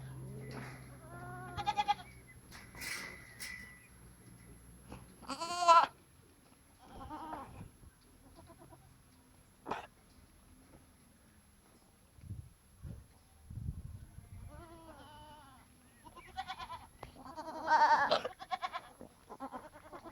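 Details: Goats on a farm giving loud, tremulous bleats separated by quiet gaps, some short and nasal, a longer wavering bleat near the end, with occasional knocks and low rumbles between.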